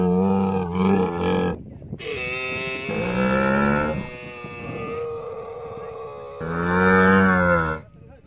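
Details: Camel giving loud, harmonic, moaning bellows in three bursts of about one to one and a half seconds each, with a steady droning tone in the gaps.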